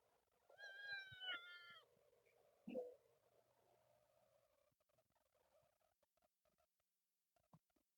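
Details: Kitten from a group of temple cats living outdoors, screaming meow: a loud harmonic wail near the start, then a short sharp cry, followed by quieter rustling and faint distant mews.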